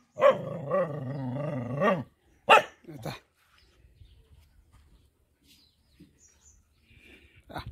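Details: Village mother dog protecting her four puppies: a sustained low growl lasting about two seconds, followed by a couple of sharp barks, then near silence and one final bark.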